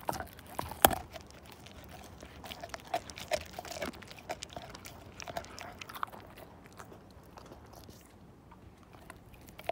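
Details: Siberian Husky named Slim gnawing a bone down to nothing: dense sharp crunches and cracks of teeth on bone, irregular and closely packed, with one loud snap near the start and quieter crunching toward the end.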